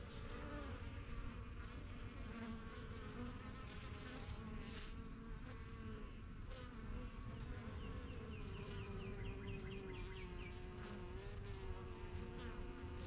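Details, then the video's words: Steady droning hum of many honey bees flying in and out of a new backyard hive, the strongest of several started in spring 2023; shifting individual buzzes over the swarm, a light repeated bird chirp late on. "BUSY BEE HIVE AMBIENCE"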